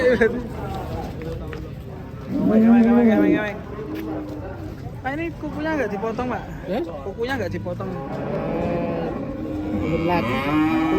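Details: Cow giving a loud, brief moo of about a second amid ongoing people's voices and faint music, with further wavering vocal sounds around it.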